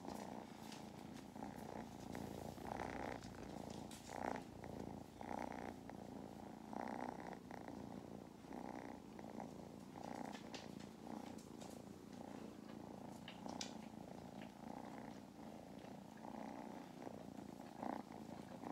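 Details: Domestic kittens Mustard and Thyme purring during lap time on a farm in County Kilkenny, Ireland: a continuous low rumbling motor with rhythmic breathing pulses roughly every second, steady throughout.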